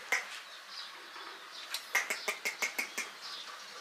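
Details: Hungry puppies crying loudly for food: a quick run of about eight sharp, high-pitched squealing yelps in the middle, with fainter whimpers before and after.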